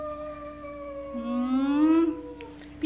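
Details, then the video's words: Jealous cat named Kitty, while being introduced to another pet called Pizza, gives a drawn-out, rising, moaning yowl with a steady background hum and brief clicks near the end. "Kitty Was Jealous | Cat Loudly Taking | Jealous Cat"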